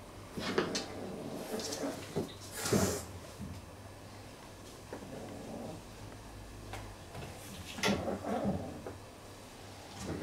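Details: Real cat fight with repeated low, throaty growling bursts, some with a hissing edge, separated by quieter stretches, over a steady low hum and occasional clatter.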